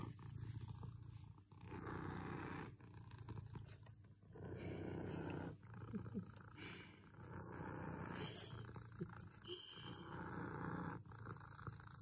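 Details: A very contented cat purring: a low, rough rumble in breath-long stretches of about one to two seconds, each broken by a short dip, held close and continuous across the whole stretch.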